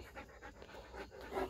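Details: Spanish Mastiff puppy and American Akita pup, tired after playing together. Quick, soft, breathy panting, about five puffs a second, steady throughout, quiet and close with no other clear sounds.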